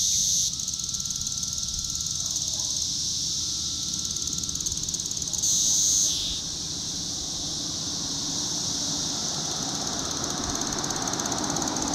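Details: Cassin's 17-year cicada (Magicicada cassini) of Brood IV, a steady, shrill, high-pitched buzzing drone from its vibrating tymbals, in Shawnee Mission Park, Kansas, on June 5, 2015.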